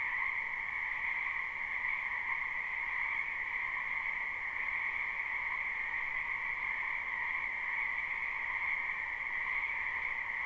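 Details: A spring wetland full of frogs, captured live: constant croaking merges into an even, shimmering high drone with a second lower band, no breaks between calls, nothing else audible.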